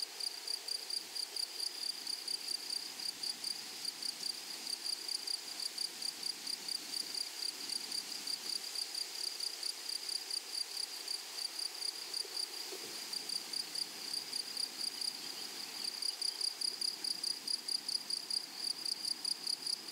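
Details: Grasshoppers in a flowery meadow or prairie, giving a steady stream of short, high, buzzy chirps repeated about three times a second in an even rhythm, with a faint hiss of background insects and no other clear sounds.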